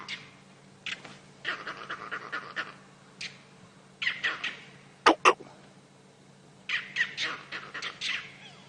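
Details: Monkeys in a jackalberry tree alarm calling fiercely, possibly because a leopard is hunting them, heard on a live sunrise safari drive on July 17, 2016: harsh, raspy bursts in uneven clusters, with two sharp louder cracks midway.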